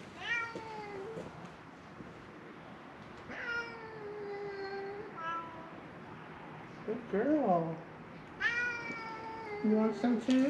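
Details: Three feral cats at Mare Island Naval Shipyard in Vallejo, California cry for food as beef jerky is handed out; a run of long, harmonic meows, some bending upward then falling, over quiet coaxing speech.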